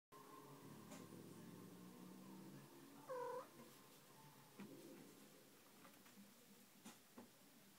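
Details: Domestic cat, upset by a new playful kitten in the home: one short, tonal, slightly wavering vocalization mid-recording, preceded by a quiet indoor hum and followed by scattered faint clicks and knocks.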